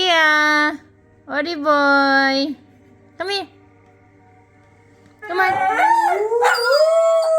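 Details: Siberian Husky howling, prompted by a squeaky toy: a few short steady howls separated by pauses, then a longer rising, wavering howl building at the end, with faint speech.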